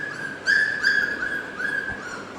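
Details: Newborn Labrador Retriever puppies, 16 days old with eyes now open, indoors: a thin, high whining whimper held fairly steady, swelling in two louder bursts and trailing off, over faint room noise.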